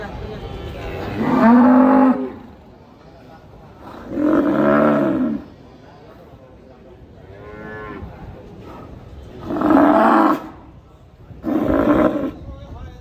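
A cow gives four loud, drawn-out moos with an odd, wavering, trumpet-like tone.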